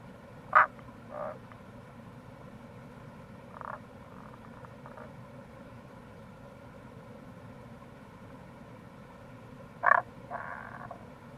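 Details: Wild Rana tagoi, Tago's brown frog, near a gorge on Fukuoka's Kamo River in Itoshima during April: a loud clipped note followed by a quick softer one, faint notes around four seconds, then a loud pair near ten seconds, steady hiss behind.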